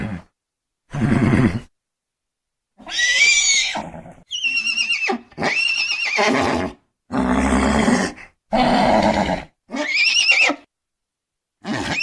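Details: Horse whinnying in a run of about eight bursts over twelve seconds, each a harsh, high neigh with a wavering, trembling tone that drops off at the end; short pauses between calls.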